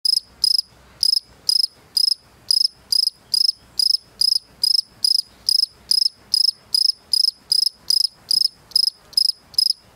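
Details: A European field cricket (Gryllus campestris) chirps steadily to attract a female, bright pulsed chirps repeating about twice a second.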